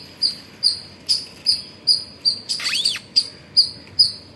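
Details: Squirrel making sound in the morning at Pozhichalur: quick high chips about every half second, interrupted midway by a brief arched, rising-then-falling squeal, before the steady chirping resumes.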